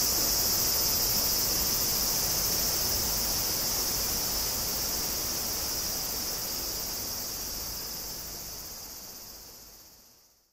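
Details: Cicadas (Tanna japonensis, higurashi) in Kobe, Japan, on 14 August 2011 give a continuous high, sizzling whine with no pauses, holding steady for several seconds, then gradually softening and dying away.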